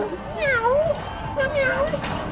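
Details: Domestic cat at a cat cafe in Hongdae, Seoul, giving two drawn-out meows that waver up and down in pitch, over background chatter of visitors.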